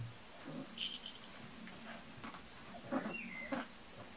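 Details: Kuvasz puppies from the litter of Armani Niclas vom Crystal Diamonds and Arika Majna-menti Mákvirág, recorded 14 July 2014; a few brief high squeaky whimpers and a short level whine, over soft rustling and light thumps.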